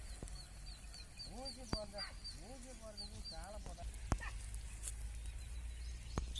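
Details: Farm-kept sheep bleating three times in quick succession, each call rising then holding a quavering tone, against a constant low engine-like hum, with a bird's repeated high chirps in the background.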